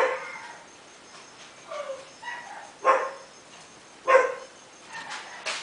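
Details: Chilli Pepper Jr. of Quindim, a red male toy puppy aged 55 days, lets out a few soft whining yips, then two louder sharp yaps about a second apart and a fainter one at the end.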